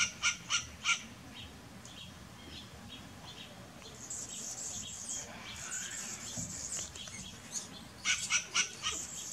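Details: Barking western grey squirrel, three crisp barks in quick succession, a quieter middle with high hissing and faint chirps, then another rapid series of four barks.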